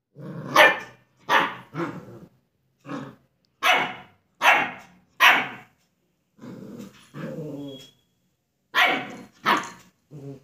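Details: Young German Shepherd indoors in a study room in India, barking at its own reflection in a mirror: a rapid, uneven run of harsh barks mixed with growling yaps, about ten bursts with short pauses between them.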